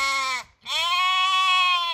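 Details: Sheep in France baaing back in reply to a shepherd chatting with them: two loud, harmonic-rich bleats, a short one then a longer steady wavering one after a brief gap.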